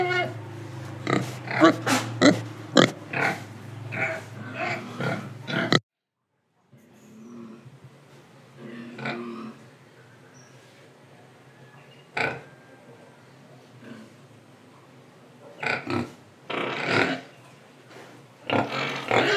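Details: Pigs in Indonesia grunting and breathing: a dense run of short broadband grunts and snorts for the first six seconds, a brief gap, then quieter scattered grunts and sniffs with soft breathing between them.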